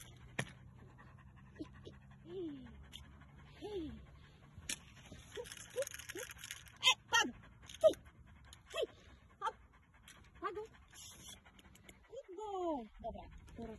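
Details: German Shepherd Dog in cargo transport from Europe to Pakistan, giving short high whines and yelps, some sliding downward, scattered irregularly about once a second, with clattering knocks and low background hum.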